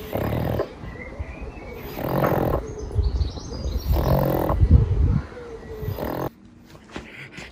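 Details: Pangpang the pug, a pet dog, napping and snorting: three loud, rough, breathy bursts come roughly every two seconds, deep and noisy like snores, each lasting about half a second to a second, then fading to quiet.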